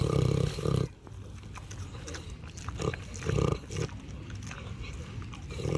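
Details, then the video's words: Farm pig eating and snoring, giving short deep grunting bursts, two at the start and more about three seconds in, separated by quieter low snuffling and chewing-like rustle. "LISTEN TO PIG EATING AND SNORING SOUNDS"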